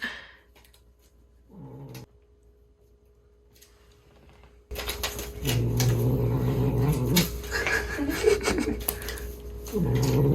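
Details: A ten-month-old British Shorthair cat growls like a dog while playing, hunting and running off with a toy indoors. A short low rumble comes first, then sustained throaty growling with rustling and a steady background tone.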